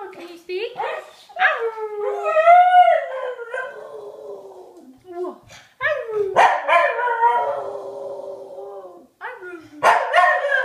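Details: Vocal pet dog mixing yodelling, rising-and-falling howls with a few sharp barks, in uneven bursts and pauses, with a person's voice also heard.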